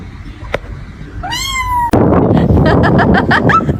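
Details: Domestic cat giving a single meow that rises, then holds a steady drawn-out tone, followed by a burst of loud clattering noise.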